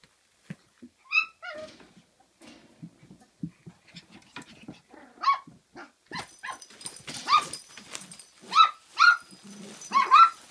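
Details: Kooikerhondje puppies at Kennel Duckhills in Sweden, day 48, indoors: scattered soft whines and scuffling give way to high, rising yips and short barks, some paired, coming roughly once a second in the second half.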